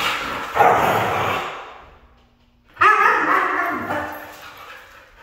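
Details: Red female Siberian Husky vocalizing in two long, broad drawn-out calls, each about two seconds, with a gap of near silence between them.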